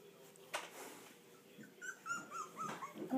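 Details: Four-week-old English Bulldog puppies, first time away from their mother and starting to talk back, give thin, high whimpers while a woman speaks softly nearby.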